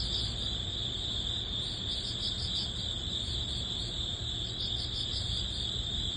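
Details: Crickets and other grass insects at the end of summer in early autumn: a steady high-pitched ringing trill with rapid pulsed chirps layered above it, over a constant low rumble.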